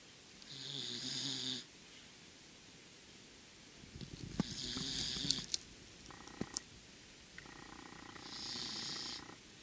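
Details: Azuki, a sleeping Corgi from a multi-Corgi household, snores in two long breaths, each a buzzy low rumble with a hissy upper layer, near the start and end; brief clicks and short tonal noises fall in between.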